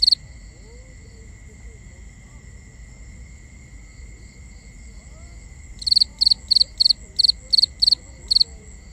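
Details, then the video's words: Night crickets recorded binaurally: a long stretch of steady high drone with faint background, then eight sharp, evenly spaced chirps of a few quick pulses each toward the end. "Cricket Conversations"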